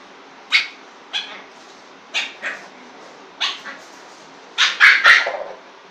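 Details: Lhasa Apso puppy playing with a bowl, giving short high yips and barks in irregular bursts, about seven sharp calls with a quick cluster of three near the end, over a quiet indoor background.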